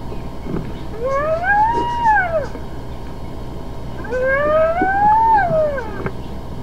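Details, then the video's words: Hyena calls: two drawn-out, arching tonal cries, each rising then falling over about one and a half seconds, separated by a short pause, over a low steady background hum. "Hyenas some vocalizations"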